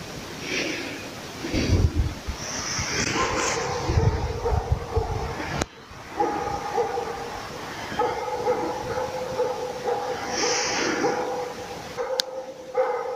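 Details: Laika working a moose on a hunt: handling rustle and thumps at first, then rapid ringing barks blurred into a steady tone through the second half, followed by a man's praise and laughter.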